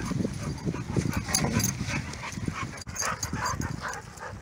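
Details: Rescue dogs Grizzly and Bear romping at a dog park with a pitbull named Boss: low, rough growl-like bursts tumble out in quick succession over about four seconds, with scuffling and open-air background noise.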